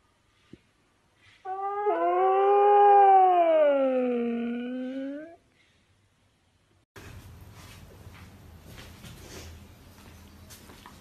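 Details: Husky howling indoors: one drawn-out howl of about four seconds, rich in overtones, rising, dipping gently, then climbing again before it cuts off. Silence follows, then a steady low rumbling background noise.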